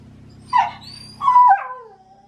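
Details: Early-morning howling from Baku the Shiba Inu, noisy with autumn courtship and impatient for a walk; a short yelp followed by a longer falling, quavering wail over faint background hum.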